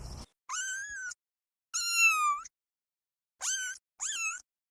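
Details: Kittens stalking and chasing butterflies on grass; four high, clear meows with rich harmonics, some rising then falling, spaced in short bursts with silence between.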